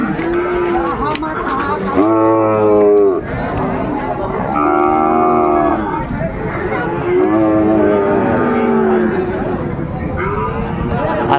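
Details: Sahiwal bull calves at a cattle market near Dhaka, Bangladesh, on 20 January 2025, during sudden cold weather; several drawn-out harmonic moos overlap, rising and falling, amid crowd chatter and speech.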